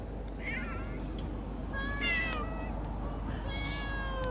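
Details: Domestic cats being fed give a few drawn-out, wavering meows against steady low background hum, and a man talks in Hindi between calls.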